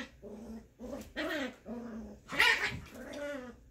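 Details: Scottish Terrier mother at play with her six-week-old puppy on Mother's Day, indoors; short throaty growls repeat about every half second, with a louder, harsher snarling burst midway.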